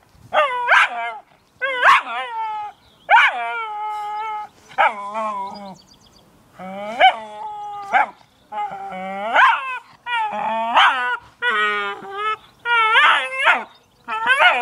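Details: Cairn Terrier playing with a new toy, giving a run of about ten high, tonal whining yelps, each a short bright cry with a sharp onset, some bending upward, separated by brief pauses; indoors with no other clear sounds.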